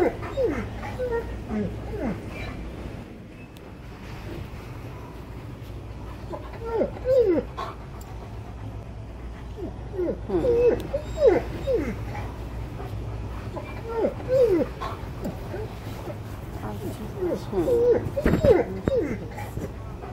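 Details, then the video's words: Alaskan Malamute, impatient while shopping, crying and complaining in short, wavering whimpers that come in clusters every few seconds, over a steady background murmur. "Impatient Malamute Cries & Complains Like a Man When Shopping"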